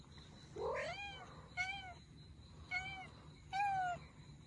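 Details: A Russian Blue cat, one of an abandoned mother-and-kittens group being rescued, gives a rising meow, then three shorter, high arched meows about a second apart.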